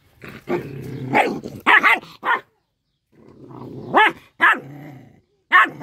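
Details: While eating fish, a little dog rumbles low and breaks into snapping, rising-falling barks, with steady growling underneath between the outbursts.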